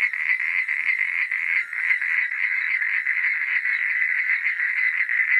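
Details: Night-time frog chorus, many voices trilling together in a thick, buzzy wall of fast pulsed croaks at a steady middle pitch, briefly dipping near the second mark before resuming at full strength.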